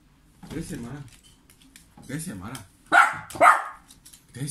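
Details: Dog in Serbia barking while its owner pretends not to see him: two loud, sharp barks in quick succession after stretches of a person speaking, indoors.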